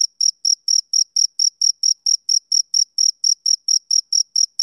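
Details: Summer-evening male cricket giving a rapid, even series of shrill chirps, close to four per second, each a short bright burst. Nothing else audible.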